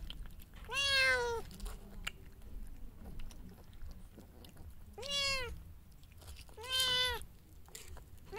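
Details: Mother cat and kitten during a feeding frenzy, three drawn-out meows spaced a few seconds apart, each bright and harmonic with a falling end, over faint chewing and low room noise.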